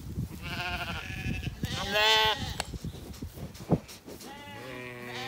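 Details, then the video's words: Ewes and lambs calling to each other as they graze among flowering apple trees in spring in County Kilkenny, Ireland: a loud, tremulous bleat near the middle, softer bleats before and after it, and a sharp knock. "sheep call to each other"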